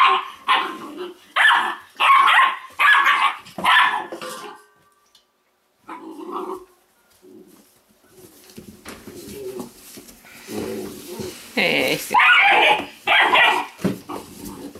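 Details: Weimaraner puppies from the Indigo and Magnum litter giving a fast run of high, sharp yelping barks in bursts over four seconds, then a short pause followed by quieter, scattered yips and whines.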